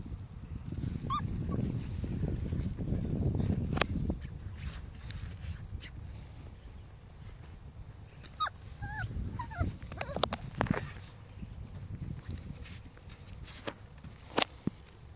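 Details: Five-week-old Pomsky puppies playing with a five-week-old Husky puppy: scattered short high yips and thin whimpers, a few squeaky rising squeals near the middle, over low rumbling thumps and scuffling from the tussle.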